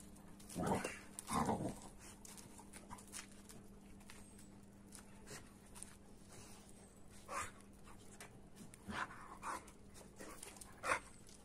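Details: Rough play between an AmStaff and a Kuvasz. The clip opens with two quick, harsh growls less than a second apart, then continues with intermittent short huffs, snorts and scuffling noises over a constant low hum.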